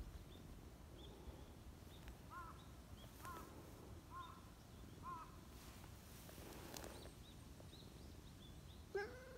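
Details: Talkative silver tabby community cat outdoors, calling toward someone hiding behind a bench: a run of short, evenly spaced mid-pitched chirping meows, then one louder falling meow at the end, with thin high bird chirps and low background rumble.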